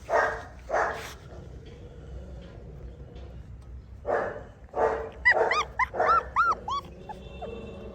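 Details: Tibetan Mastiff puppies give a pair of hoarse barks, a pause, then more barks mixed with high, rising-and-falling whines and yelps tumbling over one another.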